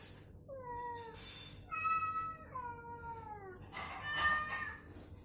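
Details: Meows exchanged while a cat in recovery is provoked with identical cat sounds to get it moving and calling; three clear descending meows, then a louder, noisier burst at the end over a low hum.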